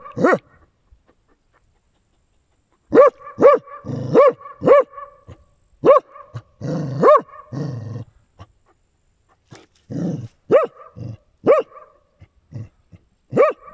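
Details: Swimming dachshund in hot weather barking repeatedly: clusters of sharp, ringing barks separated by pauses, mixed with low growly grunts, after a quiet opening of a few seconds.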